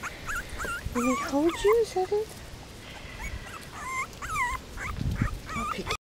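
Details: Miniature Pinscher puppies, five weeks old, playing and investigating while eating; squeaky, looping whimpers climb and dip in quick clusters, some sharply rising, scattered across the clip with light shuffling noise beneath.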